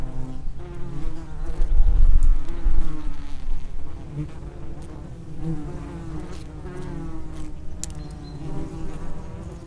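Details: At the mouth of an underground nest, common wasps buzz continuously, many wingbeat tones layered and shifting, swelling loudest early as insects fly close, then settling into a busy, even hum.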